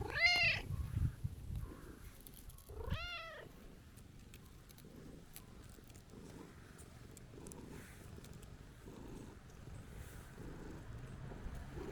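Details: Tabby-and-white stray cat complaining on meeting again after a long time away: two harmonic meows, one at the start and one about three seconds later, then quiet outdoor rumble and scattered small clicks.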